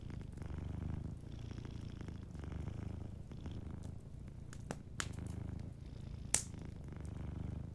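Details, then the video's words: Sleeping cat purring softly beside a warm fireplace, a low, steady rumble in breathing-paced surges with short gaps, while sharp crackles and pops from the fire snap over it. "Warm Fireplace Ambience with a Sleeping Cat 🐱💤Fireplace & Soft Purring"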